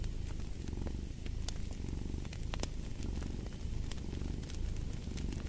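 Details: Domestic cat purring as a sleep and relaxation sound, a steady low pulsing rumble that swells and fades with each breath, laid under the sharp pops and crackles of a burning fireplace.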